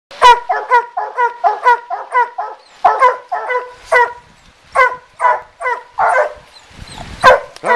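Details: Two coonhounds treeing a raccoon in a den tree beside a river in Taylor County, Kentucky, at night; rapid overlapping hoarse barks, about two a second, irregular, then a man laughing at the end.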